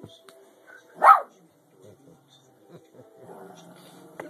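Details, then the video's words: Gentle female Shih Tzu trying to act tough toward a cat: a single short, sharp bark stands out against quiet room sound, with faint low voices afterward. "cutest Shit Tzu dog trying to be tough barking @ the cat"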